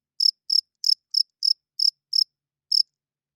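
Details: A nighttime cricket gives eight loud, high, rasping chirps. The spacing is slightly uneven, with a longer pause before the last chirp, and then silence.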